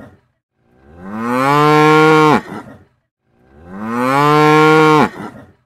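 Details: A cow gives two full moos, each building in loudness, holding a level low tone for over a second and breaking off sharply, with silence around them.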